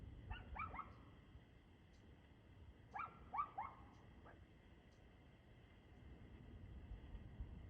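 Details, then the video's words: A dog barking on 2/6/2024 at 6:02 pm: two quick clusters of three to four sharp, distant barks, about three seconds apart, over a steady low background rumble and hum. "Barking Dog"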